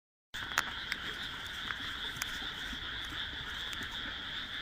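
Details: Frog chorus from a rice paddy among houses, planted on 1 June 2012, calling as darkness falls; a dense steady band of many overlapping croaks with a few louder individual notes standing out.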